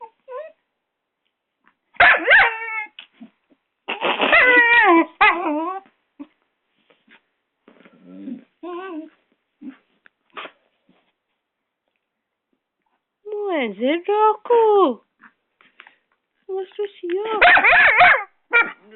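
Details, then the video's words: Six-month-old Doberman puppy Rocco fighting a hairdryer, giving scattered bursts of high yapping barks and whines with gaps between them, including some falling, swooping whine notes near the end. "Doberman puppy fighting the hairdryer !"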